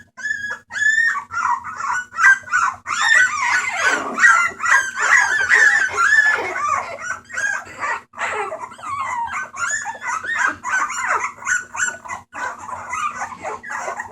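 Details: Litter of homeless Bulldog puppies awaiting adoption, recorded 28 March 2014, making noise: many overlapping high whines, squeals and yelps in a continuous busy chorus, with a steady low hum behind.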